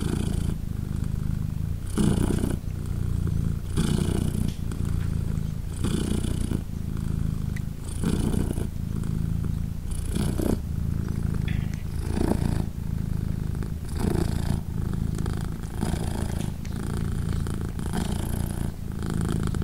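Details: Mother British Shorthair cat Polina with three 3-day-old kittens nursing, purring without pause; a low, buzzing rumble punctuated by breath surges every one to two seconds throughout, in a quiet indoor setting.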